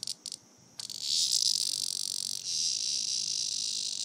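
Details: Shrill cicada buzzing after a few brief stuttered bursts. The insect has been caught by Grace, a dog, and is being played with. The buzz swells and then holds as a continuous high drone to the end.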